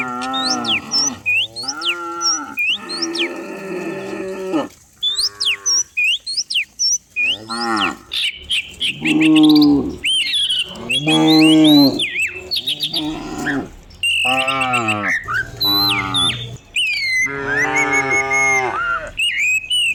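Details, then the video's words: Dozens of cows running down rural hills each morning, lowing almost constantly: many short and long overlapping moos, some rising then falling, one after another, while small birds chirp and whistle brightly throughout. "Herding dozens of cows down the hill every morning, cow sounds"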